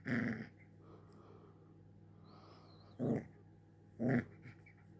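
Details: Little pet puppy indoors, wanting to play, giving three short, sharp yapping barks: one at the start, then two about a second apart near the end, with a steady low room hum between.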